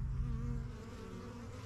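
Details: Busy bees around a young backyard hive from spring 2023, flying in and out as they get used to the area. Low, thick buzzing hums briefly and fades slightly toward the end.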